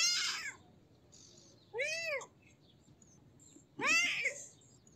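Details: Kitten giving three short, high meows spaced about two seconds apart, each arching up then down in pitch, separated by near silence with faint background hiss.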